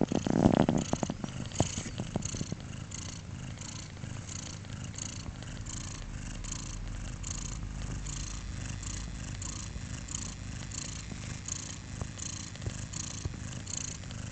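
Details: Four-day-old kittens purring indoors, a steady low rumbling purr running throughout with rapid regular pulses, a few louder rustling knocks near the start.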